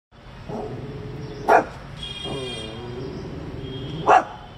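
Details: Coton de Tulear, a small dog, barking at passers-by and ignoring commands; two sharp single barks about two and a half seconds apart over a steady low hum and a faint tonal whine.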